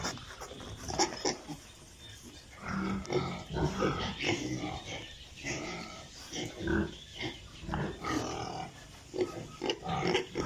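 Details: Young pigs on a pig farm keep up a busy chorus of low grunts and short squeals, pulsing irregularly with brief louder snorts and a constant barn hum beneath.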